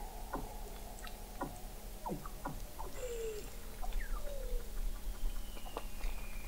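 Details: Weddell seal chorus in the frozen Southern Ocean, McMurdo Sound, Antarctica, November 2017, from an observatory 21 m beneath the sea ice: many quick downward-sweeping chirps in irregular succession, with a few gliding whistles overlapping from several callers.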